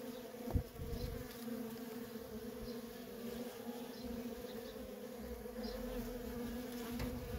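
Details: A feral colony's worker honey bees in continuous traffic: an even, layered hum that stays level throughout, with one sharp low knock near the start.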